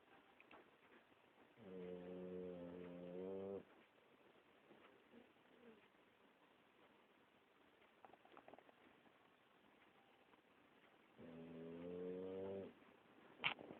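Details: A Boxer dog snoring: two low, rumbling, harmonic snores of about two seconds each, roughly nine seconds apart, with near silence between them and one sharp click at the very end.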